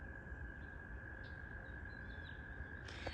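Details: In spring, a distant chorus of spring peepers, tiny frogs at a pond, blends into a steady, high, shimmering tone over a low background rumble.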